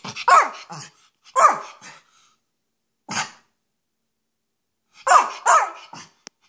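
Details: Short, husky cough barks from a spoiled pet male Schipperke indoors, delivered in clusters of two or three harsh bursts with quiet gaps, plus a lone bark midway and a small click at the end.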